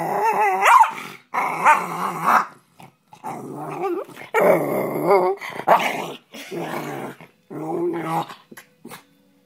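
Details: A Rat Terrier described as mean gives bursts of snarling growls mixed with short barks, in rough phrases of about a second separated by brief silences.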